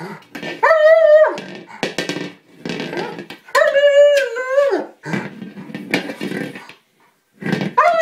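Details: A German Shepherd attacking a small buoy, upset that he cannot puncture it. Two long, high, tonal whines with bright overtones, each holding steady for about a second then dropping, separated by scuffling, chewing noises.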